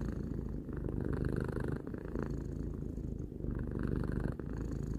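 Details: Close, continuous purring from a three-year-old cat: a dense low buzz with a grainy texture, pulsing gently as the cat breathes in and out, with brief airy hisses between breaths.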